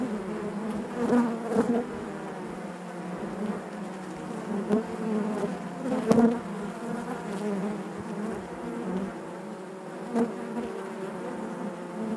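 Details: Honey bees buzzing inside their hive, a dense continuous drone with stacked harmonic bands, broken by brief louder swells near one, six and ten seconds as individual bees pass close.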